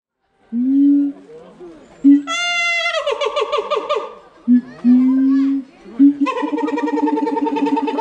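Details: Keiji, a siamang at Higashiyama Zoo and Botanical Gardens, recorded 7 February 2021, screaming: loud drawn-out low hoots, then a harsh rising shriek breaking into rapid barking pulses, more low hoots and a final run of pulsed screams.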